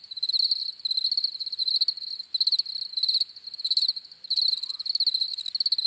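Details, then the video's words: Cricket chirping: shrill bursts of fast ticking pulses, some short and some longer, separated by uneven pauses, the insect sound alone throughout. "CRICKETS CHIRPING SOUNDS"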